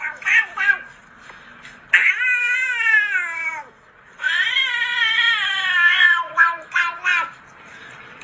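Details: Angry domestic cat giving long, drawn-out wailing yowls, each holding a wavering, slightly falling pitch for one to two seconds. Shorter harsh cries come between the yowls, with faint room noise underneath.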